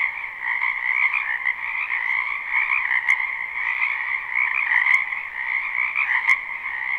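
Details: Live spring recording of many frogs in a wetland near a home, their croaks merging into a continuous, buzzing chorus with a gently wavering level; a few sharp ticks stand out around the third, fifth and sixth seconds.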